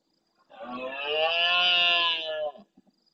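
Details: Red deer stag bellowing near the SEO/BirdLife camera in the Doñana marshes, Andalusia, Spain, at the start of night in reply to farther stags: a single drawn-out, rough, throaty roar of about two seconds, steady then fading.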